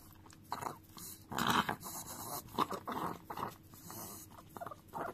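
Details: Chihuahua called Dio licks a frying pan in a small room; loud wet slurps and tongue smacks in short clusters, broad crunchy bursts, with metallic pan taps between.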